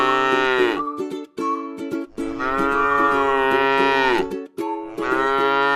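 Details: Repeated lowing from a tame cow grazing in a rice field: three long, steady moos with brief breaks between them, while light plucked-string music continues in the background.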